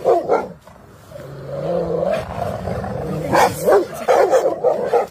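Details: Rottweiler at play on a field: sharp barks open and close the stretch, with a drawn-out growling whine between them, the barks coming in quick irregular bursts.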